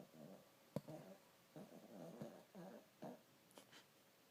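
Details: Pet dog asleep indoors, snoring: a run of soft, rough, rumbling breaths repeated about every half second, with a faint click and quiet room background.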